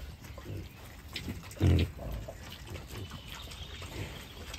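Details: Wild boars in a beech forest, including a large boar with sharp tusks; one short, deep grunt sounds midway through, surrounded by soft rustling and crunching on the forest floor.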